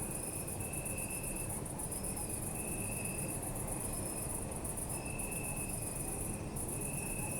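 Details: Night chorus of crickets in an urban park, captured on a Zoom F3: continuous shimmering high trill with a repeated mid-high chirping tone in bursts of one to two seconds, backed by constant low city hum.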